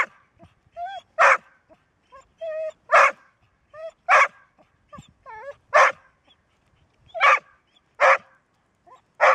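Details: A Golden Retriever that seldom barks gives a sustained run of sharp, harsh barks roughly every one to one and a half seconds. Thin rising-and-falling whining tones fill the gaps between barks.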